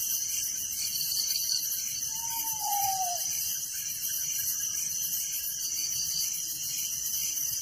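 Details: Crickets chirping at night in a village: a dense, high, shimmering chorus of rapid pulsing trills runs steadily throughout, with one soft falling whistle from another animal near the middle.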